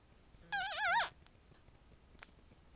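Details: Havanese puppies, eight days old, while nursing: one clear high whining whimper lasting about half a second, wavering then dropping at the end, in a quiet indoor room.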